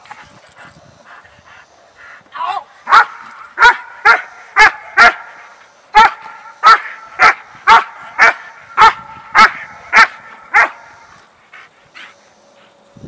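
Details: German Shepherd trained for personal protection, facing a burglar, delivers a steady run of about fifteen forceful, harsh barks, roughly two per second, after faint voices at the start; quiet returns once the barking stops.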